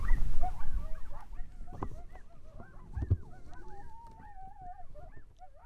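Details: Distant coyotes in the Nebraska Sandhills, after rain, answer a hunter's howls with a wavering chorus of overlapping howls and quick yips.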